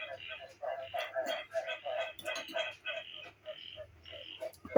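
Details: Frogs croaking from a recording used as dance music in place of mor lam during a meal; a fast string of short, knocking and nasal croaks runs steadily while a voice chats over it.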